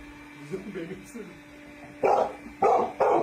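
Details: Dog in a playful compilation of pets, giving three loud, short barks near the end after quieter murmuring and human voices; a person coaxes it to come through an opened door while others laugh.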